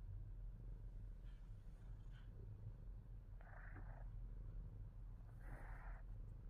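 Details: Low rumbling purr from Fat Boy, a pet Himalayan Persian cat, running throughout, with soft breathy puffs late in the recording.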